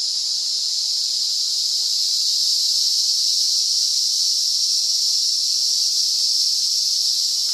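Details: Steady, intense high-pitched buzz of an emerald cicada (Zammara tympanum) singing in the RPPN Corredeiras do Rio Itajaí, Itaiópolis, Santa Catarina, Brazil, continuous and unchanging with no other clear sounds.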